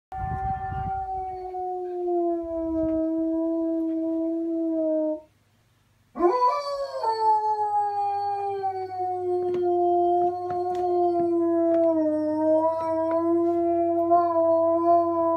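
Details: A German Shepherd howls at an ice cream truck, giving long, steady howls, each sliding up at the start and easing gradually downward.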